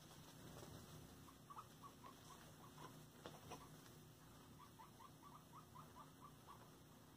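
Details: Pet guinea pigs during floor time give soft, short chirping notes at a middling pitch, in two loose runs of rapid repeats over a steady, quiet room hum.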